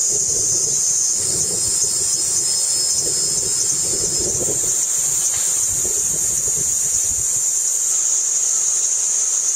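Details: A Kaempfer cicada, recorded in 2009, sings a steady, high-pitched, hissing drone that never breaks.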